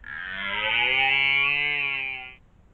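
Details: A red deer stag (Cervus elaphus), recorded by a trail camera as the rut was ending, gives a long, drawn-out tonal roar that swells and then fades.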